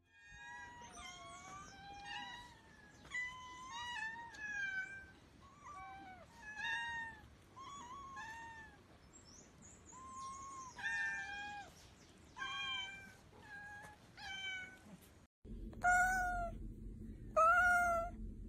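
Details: Domestic cats meowing to demand attention, as when asking for food or wanting to play: many short rising and falling meows of varied pitch, several cats in turn, ending with two louder, sharper meows over a hum.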